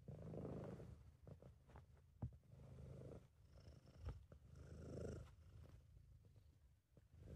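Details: Contented purring from Sabu, a British Shorthair cat, recorded by an amateur: a deep continuous rumble rising and falling in breath-paced cycles, with a few soft clicks and rustles.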